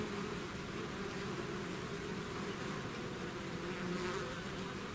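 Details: Swarm of bees leaving their hive, a dense continuous droning buzz in two steady low tones under a hiss of many wings, with no pause throughout.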